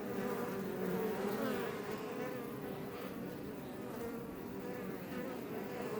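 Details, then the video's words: Honey bees of the Iberian subspecies, Apis mellifera iberiensis, outside a Langstroth hive west of Roquetes near Els Ports National Park, south Tarragona, Catalonia, Spain, recorded up close: a steady, dense, droning hum of many insects, continuous throughout. "Bees Healing Sound Effect HD - Up Close"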